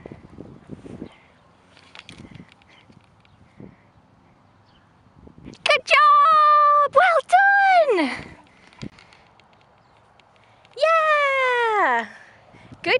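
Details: Marley, a young Patterdale Terrier of about 18 months at a rescue centre, playing in the sun: drawn-out tonal whines that fall at the end, in bursts, with a woman's encouraging voice and footsteps.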